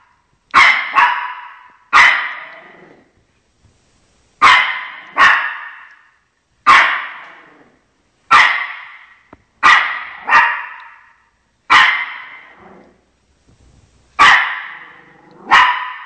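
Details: Pet Shih Tzu Chocolate barking at actor dogs seen on television to defend its territory: about twelve loud, sharp barks, some in quick pairs, spaced by short silences.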